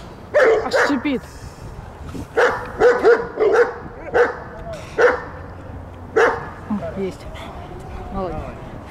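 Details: Belgian Malinois on the attack in guard and protection training at the Strazh centre, Odesa, Ukraine: clusters of forceful, rapid barks, some in quick doubles and triples, separated by pauses, with a human voice mixed in.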